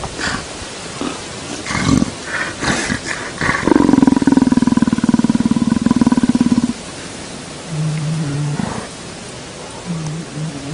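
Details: Male leopard enjoying being petted: a few rustling thumps, then a loud, rasping, pulsed growl held for about three seconds, followed by short, softer low grunts.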